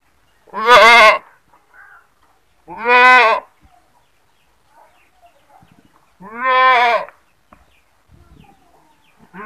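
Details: Goat screaming: three loud, harsh, quavering bleats, each under a second long, spaced about two to three seconds apart, with faint soft noises in the quiet gaps.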